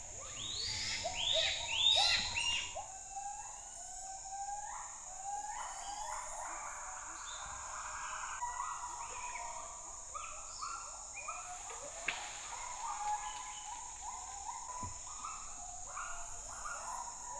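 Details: A male white-handed gibbon, escaped with his mate from a cage at a rescue centre in Indonesia, gives repeated high, rising and falling distress cries over a steady insect drone because his offspring stayed behind in the cage.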